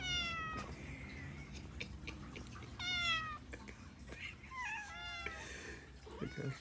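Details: Hungry, greedy pet cat indoors, loudly meowing and waking a sleeping pitbull just before being fed; several drawn-out, falling, nasal meows spaced about two seconds apart, with a person talking quietly in a small room.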